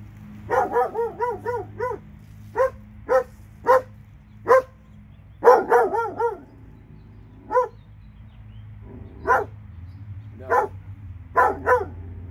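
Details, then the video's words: Dogs in Alabama, two of them, barking in short harmonic bursts, a rapid run of four or five yaps at the start, then single or paired barks every second or so, over a low steady hum. "Alabama dogs"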